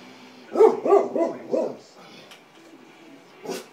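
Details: An English springer spaniel barks at a picture of a puppy on a computer screen, giving a quick run of four sharp, mid-pitched barks.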